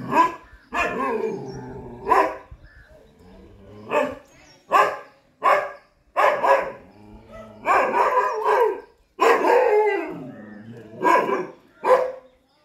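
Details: A Chippiparai dog fighting monkeys barks in loud, harsh bursts, some drawn out into wavering, howl-like cries, repeated irregularly about every second over twelve seconds.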